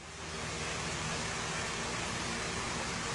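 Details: Steady, even hiss spread across all pitches, like rushing water or surf, rising in the first half second and then holding level with no animal voice.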